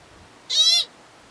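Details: American pika (Ochotona princeps) in the lava fields of Craters of the Moon National Monument, where pikas are darker and smaller than mountain pikas and shelter in broken lava, gives a single short, nasal, high-pitched bleat against quiet background.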